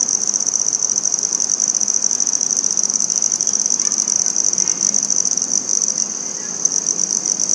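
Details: Handsome trig, or red-headed bush cricket, singing in Maynard, Massachusetts on September 14, 2019: an unbroken, high, pulsing trill held at one steady pitch, with a faint upper overtone, lasting the whole stretch.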